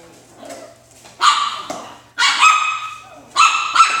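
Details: Alaskan Klee Kai puppies playing in their boxes indoors give loud, sharp high-pitched barks and yelps in three bursts, each held briefly with bright harmonic tone, separated by quieter rustling and scratching of cardboard.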